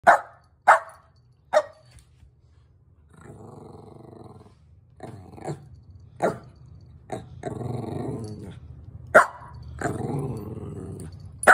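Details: Shetland Sheepdog named Dancer at play, trying to get another dog, Mumbles, to chase him: sharp single barks near the start, then stretches of low rumbling growls broken by further short barks.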